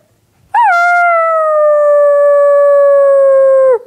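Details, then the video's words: Onyx, a pet dog, howls once: a quick rising swoop that settles into a long, smooth, sustained tone, slowly sagging in pitch over about three seconds before tailing off. "Onyx Howls and sneezes all in one video. Funny Dog."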